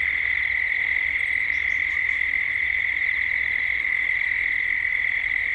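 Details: Cicadas calling at dusk in Gippsland, Australia, as evening sounds build: a steady, unbroken high-pitched buzzing drone with a fine pulsing texture, and a few faint, brief high chirps from other creatures.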